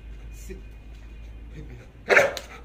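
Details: Belgian Malinois in guard-dog training, barking on command without attacking: one loud, sharp bark near the end after a quiet stretch with faint background murmur.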